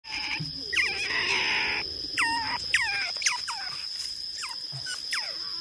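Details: Small-clawed otters in a mangrove setting squeal in the morning while waiting to be fed mullet for breakfast: high, falling whistled squeaks repeated about twice a second, over a steady high electronic whine and a rough hissing burst.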